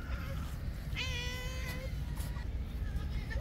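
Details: Stray cat on an island, rushing out of its cat house on a cold, rainy day at a man's voice: one loud, clear, drawn-out meow near the middle, over steady rain-like rumble and a man's murmured speech.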